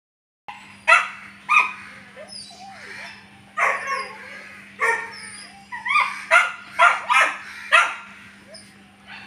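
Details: German Shepherd puppy offered for sale, giving scattered high yips and short barks, some whimpering between them, with a constant low electrical hum underneath.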